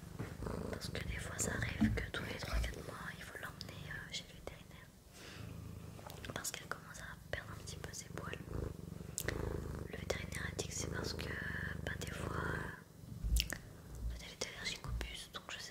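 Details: Close, relaxing recording of the pet cat Sakura purring with a low rhythmic rumble for most of the stretch, fading briefly near the end, beneath gentle French whispers and soft rustles.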